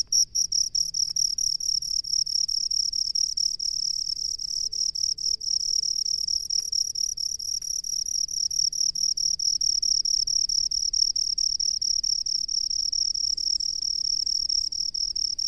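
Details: Rice-field cricket calling with a long, nearly unbroken high-pitched trill, fast pulses blurring into a continuous ringing buzz, over a quiet low hum.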